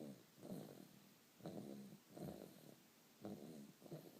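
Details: A dog snores in its sleep, four or five raspy, fluttering breaths in quick succession, each a short low rumble with a soft whistle at its edge.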